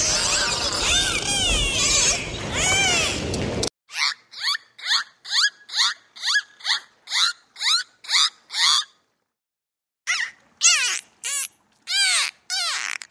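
A dolphin gives a rapid series of high, squeaky whistles that sweep and bend in pitch.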